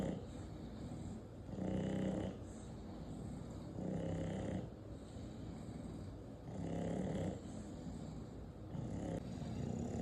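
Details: Eight-month-old English Bulldog snoring steadily: four deep, raspy, buzzing inhalations spaced roughly two and a half seconds apart, with soft hissing breaths in the pauses.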